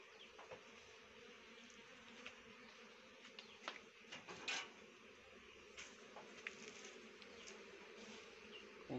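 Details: Honey bees feeding on rhododendron blossom nectar for honey-making. A continuous soft hum is marked by frequent crisp ticks and a louder hiss-like flare midway, all at fairly low volume.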